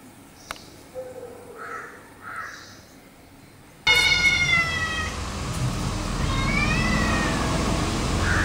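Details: House cat reacting to a new puppy that approaches for friendship, letting out a drawn-out, wavering caterwaul after a quieter stretch of faint soft sounds, the strained yowl rising and falling over several seconds.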